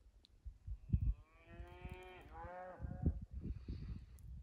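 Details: Scottish breed Highland cattle outdoors in Finnish winter snow, cows heading for forest, filmed 6 January 2021 on iPhone 11: a drawn-out bellowing moo about one and a half seconds long, wavering then falling, over hoof thuds in snow.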